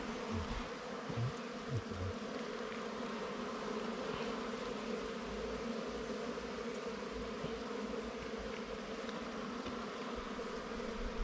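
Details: Continuous hum of a wild bee colony disturbed during honey hunting, an even, unbroken drone in stacked low tones, with some soft thumps of handling near the start.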